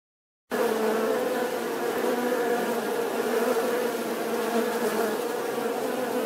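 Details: Bee buzzing: a steady, dense hum with a strong tone near the middle range and layered overtones, starting after a brief silence and holding even loudness throughout.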